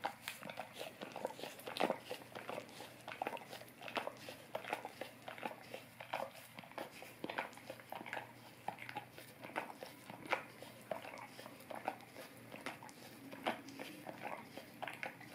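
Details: Golden Retriever lapping at an Orapup tongue cleaning brush for a dog ASMR recording. Moist licks and soft smacking arrive in uneven clusters, with louder wet pops scattered throughout.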